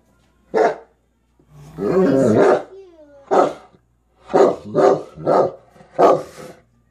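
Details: A Kuvasz dog barks on seeing a fox: a single deep bark, then a longer rough growling bark run, another bark, and a quick series of four loud broadband barks.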